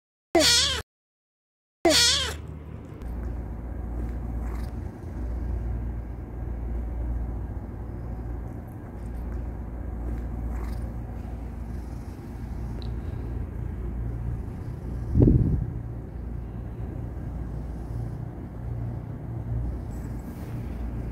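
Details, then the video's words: Male house cat protesting at being stopped from kneading: two loud, shrill, wavering yowls in the first two seconds, then a long stretch of steady low rumbling with a faint rising squeak near the middle. "My cat will curse if you stop him from kneading"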